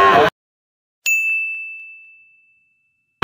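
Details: A single clear metallic ding rings out and slowly fades, framed by short bursts of broadband noise at the start and end; no animal voices are heard.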